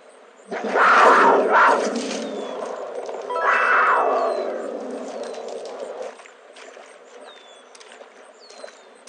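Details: Snow leopard giving two loud, rough, drawn-out roaring calls of about one to one and a half seconds each, separated by a short pause. Low background noise and faint thin whistly sounds follow.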